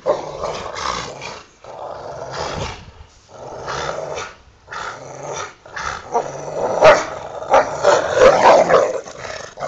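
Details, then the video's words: Two pet Rottweilers tussling over a toy in a back yard, growling in rough bursts separated by short pauses, building to louder snarls near the end. "my hounds fighting over there toy"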